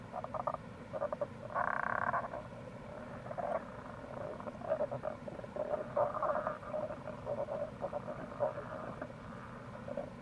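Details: Tago's brown frog calling in April beside a gorge on the Kamo River, Itoshima, Fukuoka, Japan. A longer rattling croak is followed by a dense, irregular run of short pulsed notes over a steady stream.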